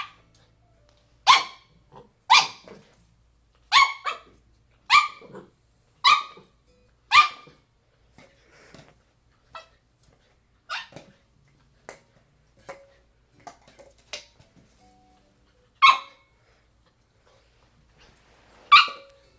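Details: A 6-month-old Shiba Inu fighting an empty Pringles can gives sharp, short barks, spaced a second or so apart, with quieter scuffs between.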